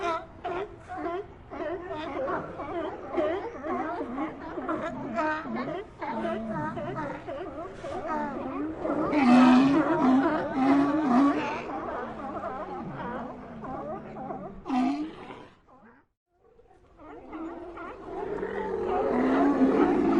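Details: Sea lion colony in chorus, layered moaning and barking calls overlapping continuously, swelling in the middle, a brief near-silent gap around sixteen seconds, then the calling returns louder.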